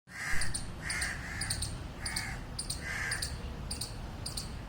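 A squirrel gives harsh, barking calls in a steady series, about one every second.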